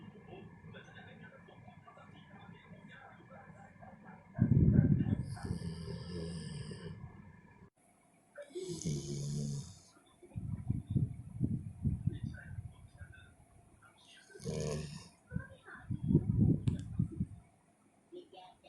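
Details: Sleeping dog lying on its owner's chest, 4 November 2021, snoring loudly: irregular low, rough rumbling bursts, some drawn out and some in quick runs, mixed with chiming sound-effect tones and quiet household noise.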